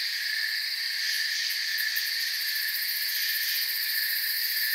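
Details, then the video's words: Forest crickets keep up a dense, even drone of stacked shrill trills, with brief bursts of fast ticking pulses in the highest layer midway. "Forest Sounds and Crickets"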